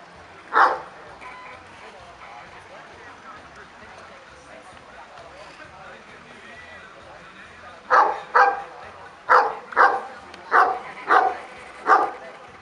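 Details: Kuvasz at the fifth Kuvasz club show in Kishegyes (Mali Iđoš), 2017: one lone bark early, then after a pause a run of seven sharp barks about half a second apart, over steady background chatter of people.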